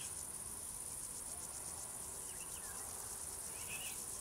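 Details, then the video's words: Crickets singing: a dense, high, shimmering trill that runs without a break, finely pulsed, with a few faint bird chirps in the background. "singing crickets"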